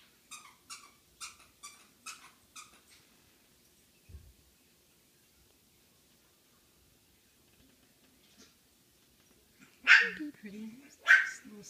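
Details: Five-day-old male red liver chocolate Shih Tzu puppy, indoors; a run of about seven thin, high squeaky cries in the first three seconds, then quiet, a soft bump, and two louder woman's-voice-like bursts near the end.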